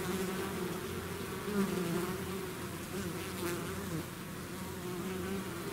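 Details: Bees swarming out of their hive: a thick, continuous buzzing drone made of many wings, with individual hums rising and falling slightly as bees pass closer, steady loudness across the whole stretch.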